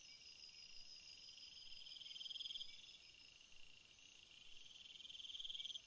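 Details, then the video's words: Crickets among field flowers, a steady high insect hum with a nearer caller giving a buzzy pulsed trill that rises in loudness, repeated about every three seconds. "Field flowers screensaver and crickets sound"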